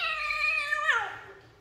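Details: Domestic cat or kitten indoors, being coaxed down and picked up: a loud harmonic meow held level for about a second, then sliding downward and fading, with a man speaking Hindi just before and after.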